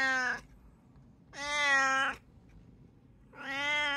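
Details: One of three pet cats, a brown tabby, Munchkin and Abyssinian, giving three drawn-out, richly harmonic meows at steady intervals of roughly two seconds, each lasting about half a second to a second, steady in pitch, in a quiet room.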